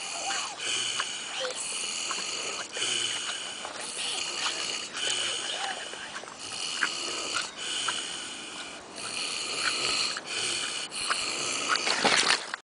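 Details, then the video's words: Kunekune pig snoring at Willowbank Nature Reserve in Christchurch: rhythmic rasping breaths about every second or so, broad hissy noise with bright upper tones, ending in a louder burst. "Fat Snoring Pig"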